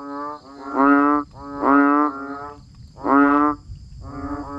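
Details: ['Frogs calling in the rain; loud, nasal, moaning notes, each about half a second, three strong calls and a softer one in under five seconds, with a quiet continuous background hum.']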